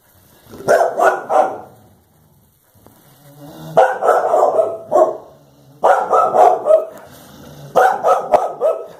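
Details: Two Clumber Spaniels, Blanche and Daisy, bark at a cow to protect their people; loud clustered barks come in bursts of three or four, separated by short pauses, repeated across the clip.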